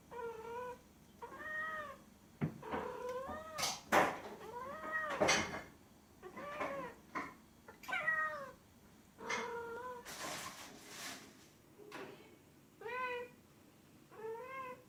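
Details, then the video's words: Domestic cat meowing repeatedly in short harmonic calls, each rising then falling, roughly one every second or so, with some clicks and bursts of noise between them. "Latest Top 10 Funny Sounds Cats Make!!"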